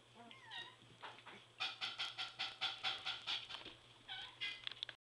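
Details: In a whelping box, three-week-old Border Collie puppies let out a rapid series of about a dozen sharp, high squealing yelps in quick succession, preceded and followed by softer rising whines.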